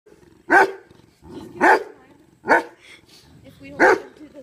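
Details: Dog trying to wake a dead companion dog and guarding its grave; four sharp, high whining yelps come about one second apart, each a brief bright burst, with quiet background between.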